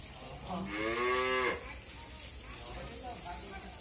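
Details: Friesian cow, pregnant with a nine-month calf and giving 18 to 20 litres of milk, on a dairy farm in Bangladesh: one drawn-out, nasal moo lasting under a second, rising slightly then cut off, followed by quieter background noise.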